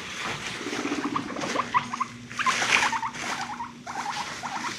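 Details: Frisky pet guinea pigs chasing each other and rumblestrutting: a steady low purring rumble under rapid squeaky chirps and short rising squeals, with background rustling.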